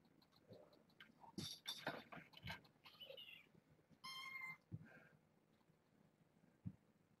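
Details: Kittens from a litter of six born August 29th to a family pet, indoors: quiet, high thin mews with bright stacked overtones, one drawn out about half a second, among soft knocks and rustling.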